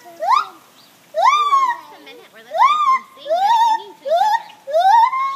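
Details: Gibbon morning song with loud rising whooping notes roughly once a second, each swooping up and holding, softer lower wavering notes underneath between phrases.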